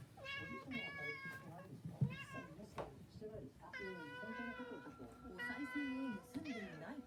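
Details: Cats at a cat grass feast, several meows with stacked harmonics rising and falling over about seven seconds, mixed with human speech in a small indoor room.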